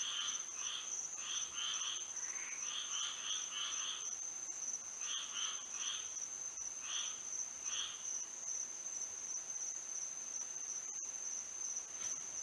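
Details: Night frog chorus in Florida with moonlight: bursts of pulsed, rapid croaking calls in clusters during the first eight seconds, then fading, beneath a constant shrill insect trill.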